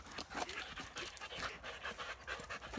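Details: Siberian Huskies Laika and Loki, excited on a walk near a porcupine that has climbed a tree. Steady, breathy panting in short evenly spaced puffs across the whole short stretch, with faint low outdoor rumble.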